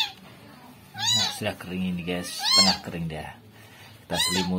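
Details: Rescued kitten infested with maggots meows in high, bending cries, three clear calls spaced over four seconds, while a person talks underneath in a low voice.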